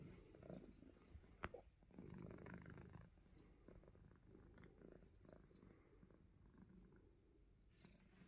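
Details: Himalayan Persian cat at play, nibbling fingers while giving a faint low purr. The rumble is steady beneath a sharp click near the start and soft scuffing sounds.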